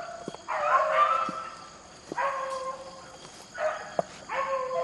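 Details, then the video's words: Beagles running rabbits in the rain let out a few long, wavering bawls with falling tails, separated by quieter gaps and sharp ticking sounds in the wet background. "rabbit hunting with beagles in the rain"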